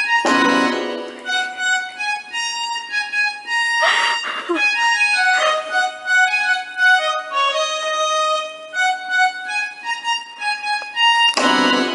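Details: Harmonica melody with accordion-like accompaniment plays continuously, with bursts of fuller chords at start and end.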